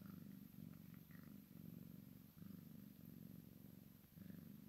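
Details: Low, throbbing purr from a Maine Coon x Sphynx kitten at play with its mother, the rumble swelling and easing in short regular pulses, with brief faint high chirps now and then.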